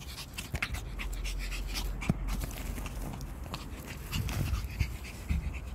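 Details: Female Pomeranian panting while told to sit and rest after chasing a ball outdoors: quick, breathy, rhythmic puffs in rapid bursts, over steady low wind rumble.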